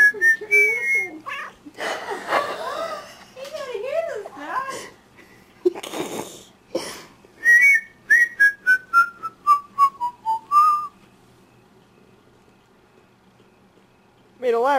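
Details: Domestic cat at night 'singing' along with a person whistling: a run of wavering, drawn-out meows in the middle, between bursts of clear whistled notes, a descending whistled scale and wheezy laughter.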